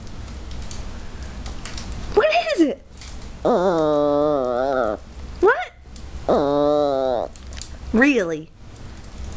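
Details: Maltese talking back in a series of four or five yodelling moans, some short and arched and some held for over a second, with brief pauses between them in a small room.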